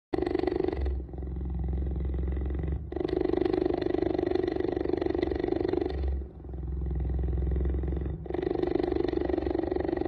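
A cheetah purrs loudly in a steady, rumbling drone, broken by brief pauses.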